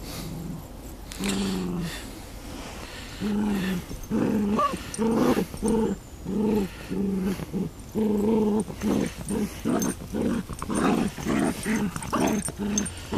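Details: Beagle and Miniature Long Haired Dachshund playing tug of war over a toy duck, producing rhythmic bursts of low rumbling growls, roughly one every second, with a person speaking briefly.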